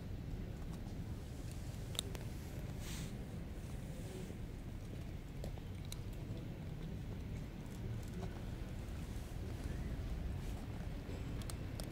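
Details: Low rumbling handling noise with a few soft clicks and taps; no animal calls.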